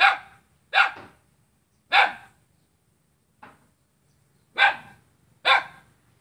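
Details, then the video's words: Dog in Kapuas, Central Kalimantan, Indonesia, barking at its own neighbour on a Saturday in August 2017: six harsh barks with irregular pauses, one much fainter than the rest. "Seekor anjing menggonggong pada tetangganya sendiri"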